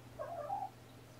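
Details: A kitten from a litter of four (three males, one female) born to Seraphina, rescued from a Lewis County, WA shelter through Seattle Humane to Purrfect Pals. Recorded indoors on the afternoon of 2018-11-28: one brief, thin, rising mew, then quiet room hum.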